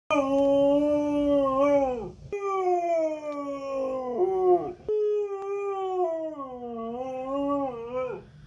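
A husky howls in long, wavering notes that slide down and break off, then start again.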